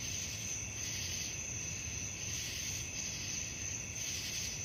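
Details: Night-time cricket chorus, an unbroken high-pitched ringing with softer pulsing bursts layered beneath, and a steady low rumble underneath throughout.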